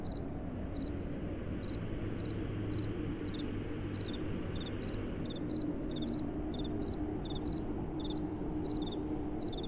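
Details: Crickets at night beside soft, gentle wind: short, high chirps pulse in steady series, roughly two per second, throughout, above a broad, constant low rumble of blowing wind.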